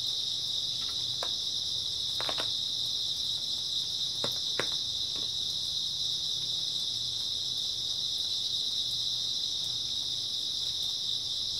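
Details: Steady nocturnal chorus of grass insects in early autumn, an unbroken high-pitched ringing trill that never pauses, with a few sharp clicks or taps scattered around the second and fourth seconds.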